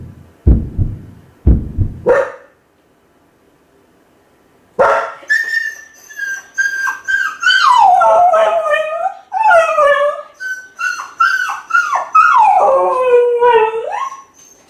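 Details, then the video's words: Kai Ken dog left home alone, howling from loneliness as if calling the family to come back soon; after a few low thuds, long wavering howls that fall from high to lower pitch, broken by short yips and whimpers. "甲斐犬の遠吠え！🙀】留守番犬の鳴き声 ！狼みたいだけど寂しい声に切なさも感じる"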